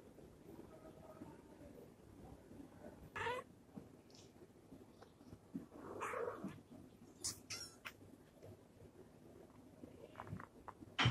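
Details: A mother domestic cat nursing her hungry kittens; a few soft, brief meows sound over a low, steady background hum.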